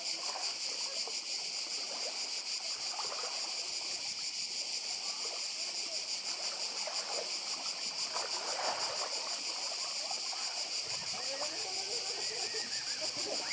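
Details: Seaside cicada chorus on the Croatian island of Badija, a steady high shimmering buzz pulsing rapidly without pause, with gentle waves and trickling water beneath.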